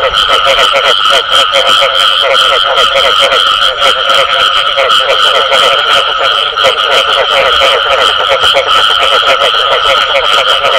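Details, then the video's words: Frogs calling with the sound known in Vietnamese as "bù tọt": a dense, unbroken chorus of rapid pulsed croaks over steady ringing tones, loud and continuous with no pauses. "Tiếng Ếch Kêu Có Tiếng Bù Tọt Cực Chuẩn"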